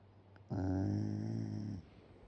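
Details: Sleeping Shiba Inu, mouth hanging open, lets out a single long snore, a low, even, vibrating drone of about a second and a quarter, preceded and followed by near silence.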